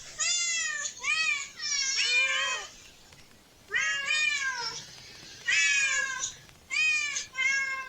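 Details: Cats in a park, among a group exploring and relaxing near a family with a child: a run of about eight high, harmonic meows, some short and arched, others drawn out and wavering, coming in clusters with brief quiet gaps.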